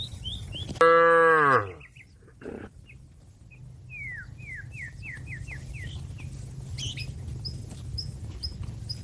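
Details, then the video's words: Calling to a grazing companion in a field, a cow gives a single loud, downward-sliding moo, then a run of quick bird chirps and tweets continues over faint low hum. "suara sapi lembu memanggil kawan yang lagi makan rumput diladang the sound of a cow calling a friend"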